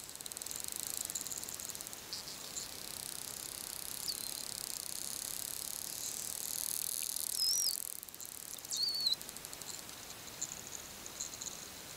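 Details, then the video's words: Wild bottlenose dolphins in The Bahamas communicating: a few thin, wavering high whistles rise and twist near the top of the range over a constant hiss of underwater noise, with faint clicking in the background. "Bottlenose Dolphins in the Wild (with original sounds)"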